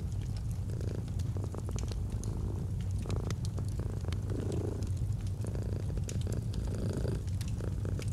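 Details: Purring domestic cat beside a crackling fireplace in a cozy autumn setting: a continuous deep vibrating hum with gentle swells every second or two, and frequent wood-fire snaps overlaid.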